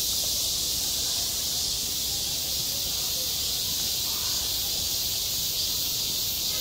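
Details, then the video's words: A school playground in high summer filled with the unvarying, high-pitched drone of many cicadas, a flat hissing buzz with no pauses and only a soft low rumble underneath. "한 여름 운동장에서 매미가 울고 있다 - 여름의 소리, 학교 종소리, 매미 울음소리"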